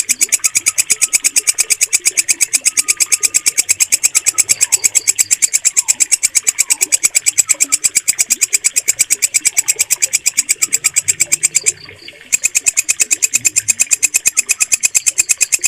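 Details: Walang kecek katydid with a clear, loud voice used for mastering pet bird song: relentless high rasping chirps at about three per second, one short break near the end, faint bird notes underneath.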